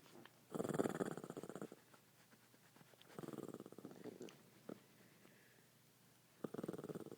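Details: Shih Tzu named Sampson asleep at home, snoring in rough, rattling breaths: three long raspy bursts around half a second to over a second each, separated by quiet pauses, with a couple of short snorts between them.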